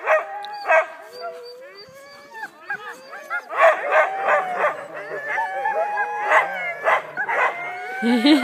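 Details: Huskies at a mushing company in Wardsboro, Vermont, getting ready for a run, yowl, yip and howl over one another in an excited, overlapping din.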